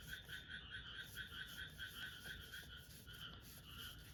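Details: Frogs heard through an open window, a dense chorus of repeated pulsed croaks, about two per second, with bright overlapping notes and a steady background hum.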